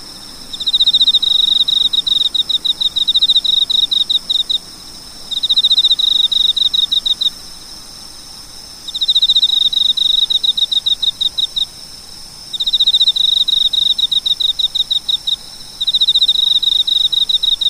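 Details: Cricket calling: clear high-pitched chirps in rapid trains of about two seconds, repeated with short pauses between bursts, with steady faint background hiss.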